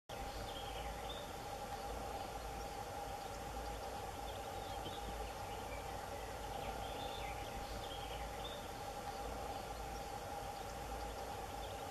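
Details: Steady low rumble and broadband background noise, like a distant train or machinery, with no clear animal calls.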